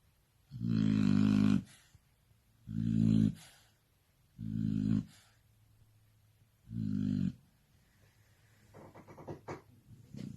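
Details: Shar Pei dog asleep and snoring indoors: four deep, rumbling snores, each about a second long, come roughly every two seconds. Softer snuffling sounds follow at the end.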